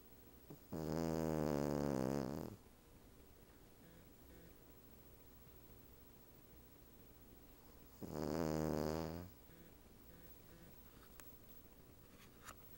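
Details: Female Cavalier King Charles Spaniel dozing on a couch back with a Siamese cat napping nearby; two drawn-out, grating snores roughly seven seconds apart, faint clicks near the end.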